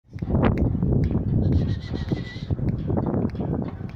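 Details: Three-month-old Siberian Husky puppy barking at an unfamiliar person: rough, low, noisy yelps and grumbles run through most of the clip, with a brief thin whistled tone midway and a man's voice calling nearby.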